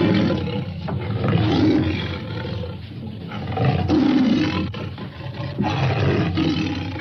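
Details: Tiger roaring and growling almost without pause, a coarse, deep, grating voice that swells and fades in waves about every two seconds.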